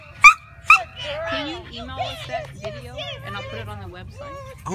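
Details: Riley, a Shih Tzu, chasing a lure: two sharp, high yipping barks in quick succession about half a second apart, followed by a person talking over faint further dog sounds.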